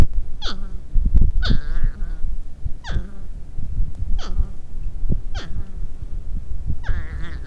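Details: Arguing porcupines groan and moan in a series of six short, whining cries. Each drops sharply in pitch and then trails off, roughly one per second, against steady low knocking and shuffling noise.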